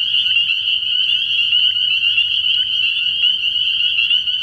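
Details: Night chorus of spring peepers at a frog pond early in the year: countless high-pitched whistled peeps overlapping into a continuous, even trill, with a soft low drone beneath.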